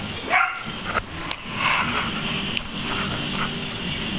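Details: Adoptable Chihuahua puppy at play: a few short sharp yips and barks scattered through the clip over steady background hum.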